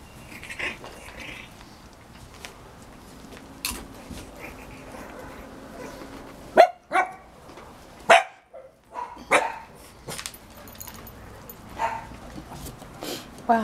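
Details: Six-week-old Cavalier King Charles Spaniel puppies, five in all, romp on a deck with their mother Diva. Sharp, loud bark bursts cluster in the second half, separated by short quiet gaps, with scuffling and a few human words.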